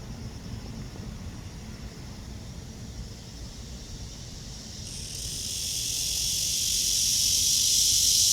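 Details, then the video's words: Cicada on a tree under a blue sky, recorded during a walk on the morning of August 23, 2020 at 9:27; quiet background at first, then a high, hissing drone swells in around five seconds and grows steadily louder to the end. "나무에 매미"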